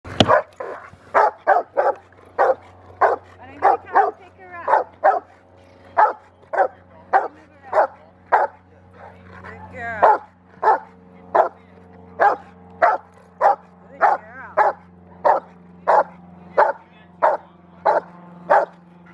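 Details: Rottweiler at training at a Rottweiler club in Victoria, October 7, 2019, giving steady repeated barks about every 0.6 seconds, with some human speech and a low steady hum underneath.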